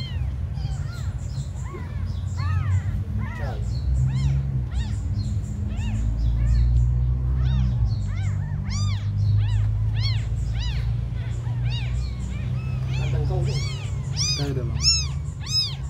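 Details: Abandoned kittens, tiny ones, crying in a rapid stream of high, arching mews that overlap and grow shriller toward the end, over a constant deep low rumble.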